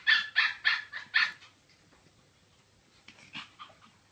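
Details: Chihuahua barking: five sharp, high yaps in quick succession over just over a second, then a pause and a few fainter, softer yaps near the end.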